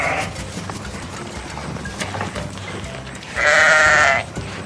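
A sheep gives one loud, wavering bleat near the end, after a stretch of quiet background noise.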